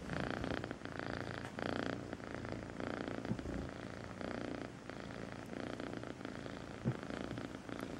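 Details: Melissa, a sweet little kitten, purrs in a steady buzzing rumble with regular breath-paced swells, close to the microphone, with a couple of faint taps in the background.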